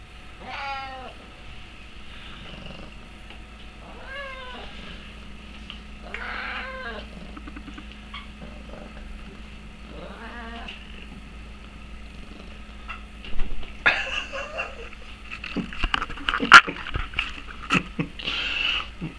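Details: Elmo, a spotted Oriental cat, chatters while perched on a shoulder indoors: a run of short rising-falling meows in the first seconds, more vocal bursts mid-clip, then louder scratchy rustling and a few sharp clicks toward the end; a steady low hum underneath.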